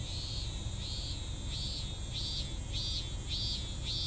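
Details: A cicada's incomplete song, with rounded buzzy pulses repeated roughly every half second, seven in all, set against a steady high insect whine and low-frequency noise.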